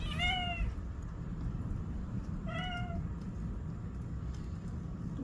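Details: In the evening a cat gives two clear, slightly falling meows about two seconds apart over a steady low rumble.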